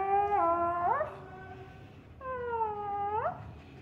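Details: A jealous female Siberian Husky gives two long, tonal, harmonic whining calls. Each holds a level pitch, dips slightly, then swoops up sharply at its end, with a short pause between calls indoors.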